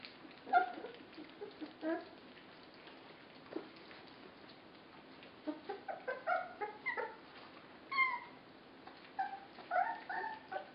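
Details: Several 24-day-old puppies at feeding time give high, tonal whimpers and squeaky yips in scattered bursts, some overlapping, with quiet gaps between and a faint background hiss.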